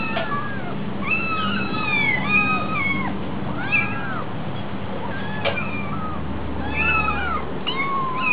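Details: A kitten at a cat cafe meows persistently from hunger. The calls are sliding and plaintive, rising then falling, and come in quick succession. A low background hum is present throughout.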